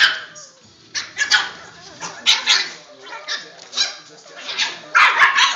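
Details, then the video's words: Boston Terrier puppies playing together inside a tent, recorded on a phone; short bursts of yips, growly barks and squeaky play noises come in irregular clusters with rustling in between. "Boston Terrier puppies playing in Tent"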